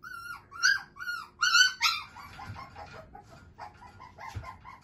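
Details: Male Shiba Inu puppy whose father is a JKC champion: about five quick, high-pitched yelping whines in the first two seconds, then softer, fainter whimpers and small cries trailing off.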